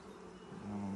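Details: Honey bees buzzing at a recently installed nuc hive during its first inspection; a soft drone grows into a loud, sustained, steady-pitched buzz over the second half.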